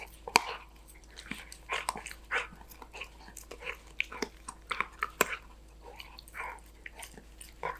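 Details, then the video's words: Danbi, a Golden Retriever, munching on snacks: sharp crunches and wet bites come in quick uneven clusters, with a few louder snaps and quiet gaps between them. "강아지 먹방 | 골든 리트리버 강아지 단비"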